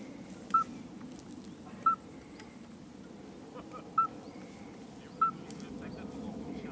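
A common midwife toad gives short, pure, bell-like whistled notes at irregular intervals of a second or two.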